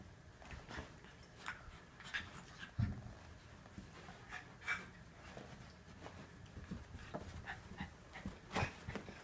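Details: Norfolk Terriers Otto and a companion wrestling to keep young Ernie under control: soft panting breaths and scuffling, with sharp short bursts near three and nine seconds over a quiet, low rumbling background.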